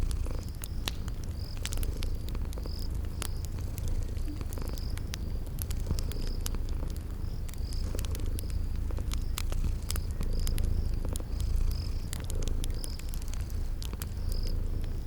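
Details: Continuous deep purring from sleeping cats, a low even drone, while a crackling fire pops irregularly and high, brief chirps, like crickets, repeat at a regular pace over the spring garden backdrop.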